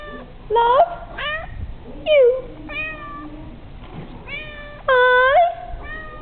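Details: Pet cat meowing back while learning to 'say' I love you, repeating after its owner: rising-falling harmonic meows near 0.7, 2.2 and 5 seconds alternate with the owner's soft speech indoors.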